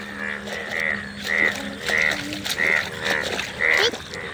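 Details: Many frogs calling together in a field, with loud croaks standing out roughly every half second over a constant buzzing chorus; nasal, harmonic notes and a faint low hum beneath.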